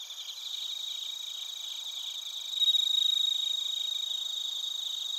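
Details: Crickets, including bell crickets, singing in Narita, Chiba, Japan, recorded with a TASCAM Portacapture X8: rapid high pulses form a continuous shimmering chorus, with a louder, pure ringing tone swelling in midway for about a second.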